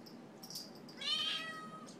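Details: Talkative Siamese mix cat, hungry around dinnertime, indoors. One drawn-out meow with a bright, harmonic, slightly falling tone lasting about a second, after soft background clicks and rustles.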